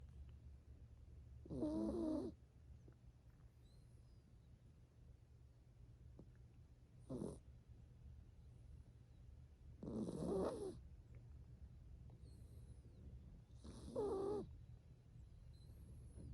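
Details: A seven-year-old female toy poodle, a rescued purebred, snores while sleeping on a lap at a house on the forest edge: four rasping, breathy snorts roughly every three to four seconds, with faint high bird chirps outside between them.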